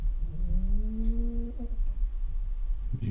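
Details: An old, very deaf female pet cat snores indoors: one drawn-out, tonal, humming snore that rises slightly in pitch over about one and a half seconds, followed by low rumbling breath against a quiet background.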